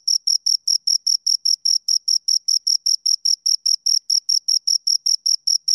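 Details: Two crickets giving bright, high-pitched chirps in a fast regular beat, a little over two per second, each pulse short and ringing; nothing else audible.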